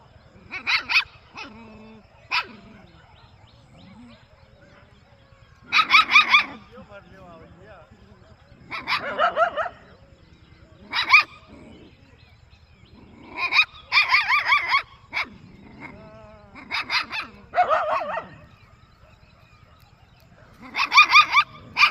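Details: Puppy and dog in a quiet village, barking in scattered bursts: clipped high yaps and short barking runs every few seconds, with long quiet spells between them.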